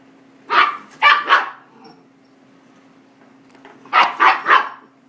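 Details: Miniature goldendoodle puppy, five months old, barks at a running vacuum: two quick clusters of shrill, rapid barks about three seconds apart, with a constant low motor drone underneath.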